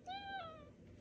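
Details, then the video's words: Pet male cat talking to its owner about his day: a single clear, level meow with rich harmonics that slides slightly downward at its end, recorded indoors in a quiet room. "Cute cat talks to owner about his day"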